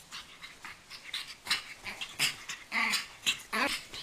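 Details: Pug puppy Chocky in a training session, giving quick hissing, airy breaths repeated roughly every half second, some bursts sharper and brighter, in a small indoor space.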